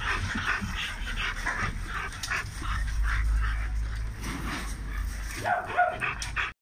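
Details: Kennel of big dogs in Romania, barking in a quick, uneven run of short bursts over a steady low rumble, with a brief higher yelp near the end.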